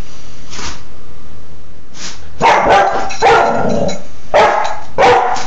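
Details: Female Dobermann puppy Baja, four and a half months old, barking playfully indoors on 26 February 2011: deep, gruff barks arrive in short bursts after a quiet opening second, with a rough, rasping edge to each.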